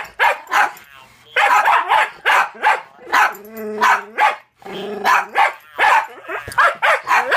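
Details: Toby, a one-year-old Jack Russell, keeps up a volley of loud, clipped barks at a talking Furby toy he is not keen on. The toy's warbling electronic voice sounds between bursts.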